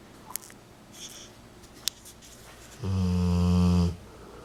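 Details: A male Rottweiler, recovering 40 days after a hemangiosarcoma diagnosis and splenectomy, sleeps happy and comfortable on his owner's lap and gives one deep, rumbling snore lasting about a second after a quiet start.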